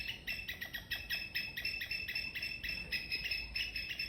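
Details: A squirrel in a garden chirps loudly in the morning, giving rapid, sharp repeated notes at about four to five per second in a steady pulsing series, with a faint low background rumble.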